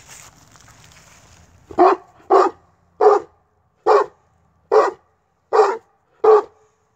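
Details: Tosa Inu from a kennel, named Brute, barking: seven loud, deep barks at fairly even intervals of under a second after a quiet start with faint rustling.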